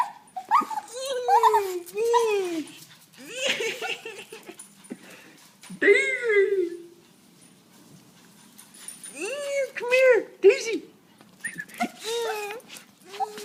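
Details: Puppy, female, trembling and whining in excitement at her owner's arrival. Arched, wavering whines come in bursts separated by pauses, some drawn out and bending downward, with voices in the room.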